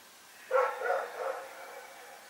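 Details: Night barking from Rex the dog in Pyrga: one abrupt bark trailing into two weaker, drawn-out follow-up sounds, over a quiet background.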